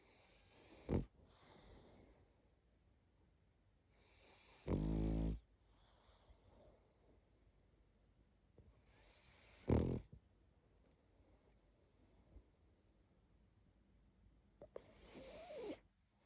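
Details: Sleeping pug snoring: loud, rasping, harmonic-rich snores roughly every four to five seconds, the longest lasting about half a second, with quiet wheezy sniffling breaths between them.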